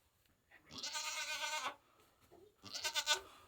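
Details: Nigerian Dwarf goat doe bleating while giving birth to kids: one long, strained, quavering bleat with rich harmonics, then a shorter, wavering bleat after a pause; a faint low sound between them.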